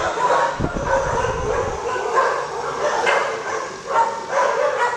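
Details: Many dogs at a dog and cat shelter bark and yip over one another while volunteers feed them, with a human voice faintly in the mix.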